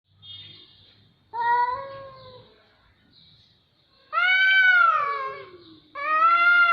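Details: Cats meowing: harmonic, drawn-out meows with rising then falling pitch, one long wavering cry near the middle and another starting near the end, with faint quieter sounds in the gaps.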